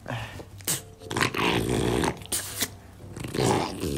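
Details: Play-fighting French Bulldog, roughhousing with its owner, gives a sustained low rumbling growl that swells and fades over a few seconds, punctuated by sharp snorting bursts and scuffling noise.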